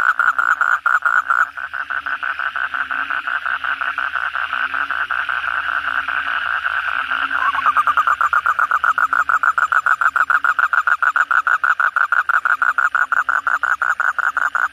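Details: Many Asian common toads in full cry on a night after heavy rain; overlapping pulsed trills form a steady droning wall, and partway through a nearer caller starts a crisp, quick series of croaks.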